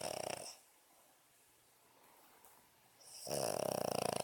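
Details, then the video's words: Snoring Boston Terrier while sleeping: loud, buzzy, fluttering snores that rattle rapidly, with a short one at the start and a longer one at the end, separated by a quiet breathing pause of about three seconds. "Snoring Boston Terrier"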